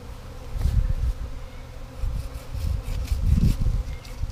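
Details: Honey bee swarm, number three of 2017, being caught as a sheet is knocked down and a limb cut so the bees go into a box; a low steady hum with louder rumbling surges and scattered sharp clicks.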